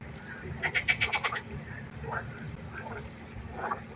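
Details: Frog chorus at night by a pond: a rapid burst of about eight pulsed, rattling croaks in under a second, followed by several shorter, scattered croaks from other frogs over a steady low background hum.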